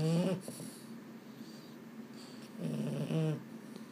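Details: At bedtime a restless male Boston Terrier, Mambo or Cub, gives a short nasal moan. A quiet pause follows, then a second throaty, wavering groan near the end, heard in a quiet indoor room.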